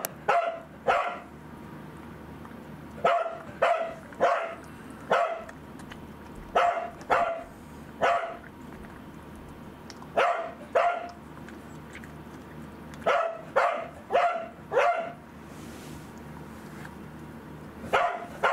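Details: Indoor pet corgi Angela, suffering lost appetite from anticancer drug side effects, barks persistently in paired and tripled sharp yaps, roughly a hundred barks a minute, against a low household hum.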